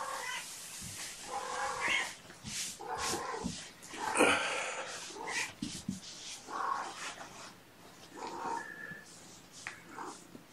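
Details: Mother cat calling indoors in the morning to her human babysitter while caring for her five young kittens; several harsh, drawn-out meows rise out of a noisy room background, with shuffling and handling sounds between calls.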